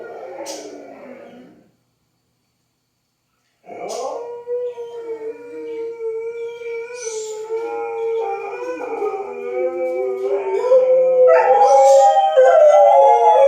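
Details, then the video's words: Dogs howling at a tornado siren test: a brief wavering howl, a two-second silence, then several overlapping voices in long sliding harmonic howls that swell and grow louder toward the end. "Dogs howling at the tornado siren test"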